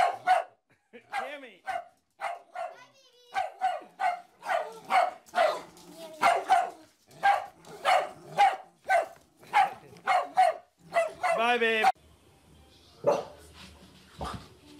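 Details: A dog barks over and over in sharp, sharp-edged bursts, about two a second, breaking into a rapid high squealing whine near the end, with a person's voice heard in the background.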